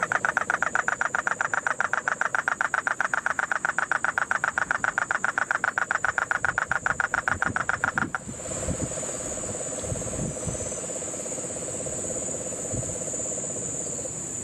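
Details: Puerto Rican crested toad calling in Guánica Dry Forest, Puerto Rico, during the rains of September 2007. A loud, evenly pulsed rasping trill runs for eight seconds and then stops. A softer low trill follows, with constant insect hiss.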